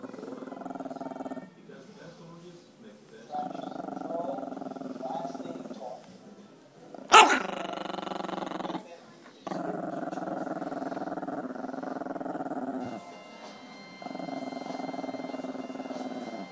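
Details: Chorkie growling at the camera in repeated rumbling bouts of two to three seconds separated by short pauses, with a sharp sudden noise around seven seconds and a faint steady tone later.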